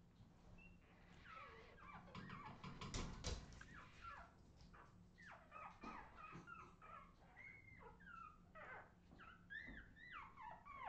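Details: Australian Terrier puppies, recorded in 2018, giving many high, short whimpering yelps and squeaks that rise and fall in quick overlapping bursts, several pups calling at once over a steady low hum.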